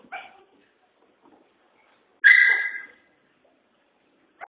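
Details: A Chihuahua on a five-day boarding stay gives one loud, drawn-out high yelp lasting about half a second, with a short fainter sound just before and a brief click at the end, in otherwise quiet surroundings.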